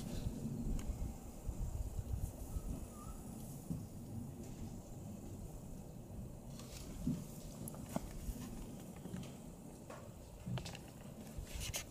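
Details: Steady low rumbling outdoor noise with faint rustles and clicks, no clear animal call heard.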